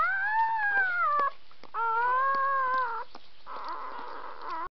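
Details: Newborn puppies, three hours old, from one litter, giving high tonal whining howls: two long slightly arching wails around one second each, then a softer, rougher cry to the end, with brief clicks between.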